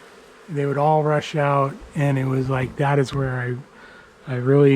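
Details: Honey bees from a long-established colony in the wall of a house turn angry as dark falls during a rescue cutout. Loud buzzing bursts come and go as bees fly close, with steady low droning tones and brief quiet gaps between passes.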